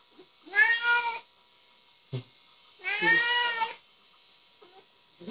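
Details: Domestic cat recorded in 2016; two clear drawn-out meows, the second longer and slightly rising, with quiet background hiss and faint clicks between.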